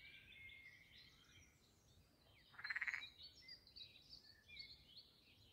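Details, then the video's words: Frogs at a pond in the landscaped grounds of Castle Aerwinkel, Posterholt, Netherlands: one short, loud, pulsed croak lasting under half a second, with chirping birds throughout. "Talking Frogs and other jungle sounds at the Pond"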